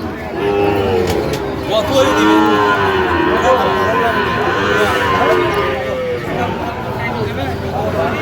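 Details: Sahiwal bull calves at a busy livestock market in Dhaka, Bangladesh, on 28 November 2025; repeated arched moos with layered harmonics rise over a constant din of crowd chatter and market noise.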